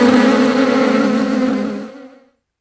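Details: In a meadow, a bee's steady, low droning buzz holds an even pitch for about two seconds, then fades quickly away.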